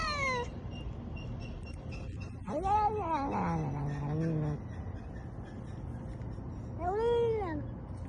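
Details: House cat uttering a few long, arched meows, one sliding down into a low moaning tone, separated by pauses over steady low background noise.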